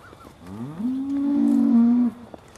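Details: Beaulands Aussie Red dairy cow, December 2012, about to be milked: a single moo that slides up from low then holds a steady tone for over a second before cutting off.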